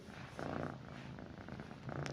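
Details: Pet cat lying beside its owner at night, a soft low continuous purr with a faint rumble, in a quiet room.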